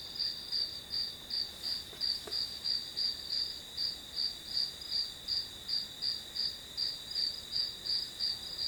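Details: Grass insect calls for study ambience: rhythmic, bright pulsed chirps close to three per second, layered over an unbroken high-pitched whine, with a soft knock early on.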